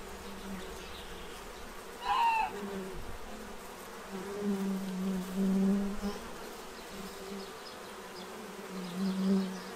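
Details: Bees in Central Illinois feeding from a tray to prepare for winter: a steady, low droning hum that swells and fades as insects pass close, with one brief high bird chirp near the start.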